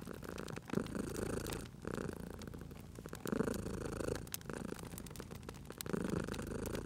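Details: Cat purring beside a crackling fireplace, low vibrating purr swelling and easing in breaths about one and a half seconds long, with crisp snaps of burning wood.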